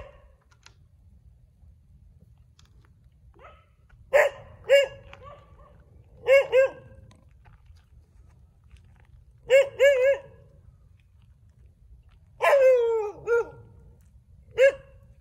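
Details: Several street dogs barking: clustered double and single harmonic barks every couple of seconds, one longer falling yelp near the end, low steady background rumble between bursts.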